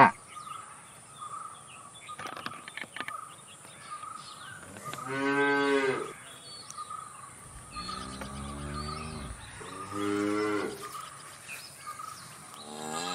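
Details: Cattle at a distance giving short, repeated moos, several brief lows spaced a few seconds apart, with a steady faint tone and scattered bird chirps in the background.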